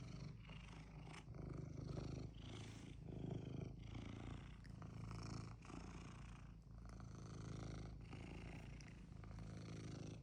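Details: Pet cat that clearly wants something, purring steadily for ten seconds: a continuous low rumbling drone with gentle rhythmic swells in loudness and no breaks, indoors with no other clear sounds.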